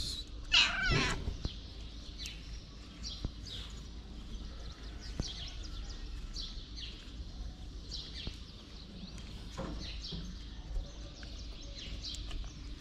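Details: Short high meow from a pregnant black feral cat at the start, then mostly steady low background noise with faint soft chirps and clicks scattered through the remaining seconds.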